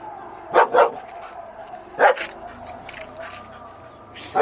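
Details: German Shepherd dogs barking: four loud, harsh barks, a close pair near the start, one in the middle and one at the end, over a steady low background hum.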